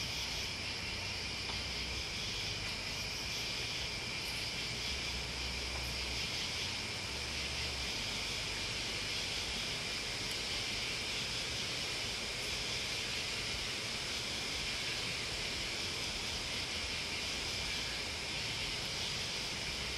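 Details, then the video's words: Massed insect song led by crickets, a constant high buzzing hiss held without gaps, its brightness swelling gently now and then, with an intermittent low hum beneath. "Listening to Crickets and Bugs"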